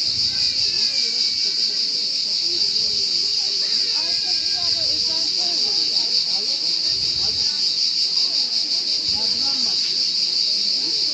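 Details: Cricket chirping as one unbroken, piercing high buzz of quick pulses, with faint lower warbling sounds and distant murmurs in the background.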